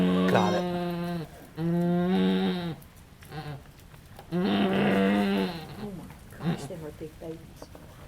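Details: Halley Berry, a farm goat giving birth to triplets at Needham Goat Farm, just after a large kid is born; three long, level, nasal bleats, each over a second, separated by short pauses with faint human voices and rustling.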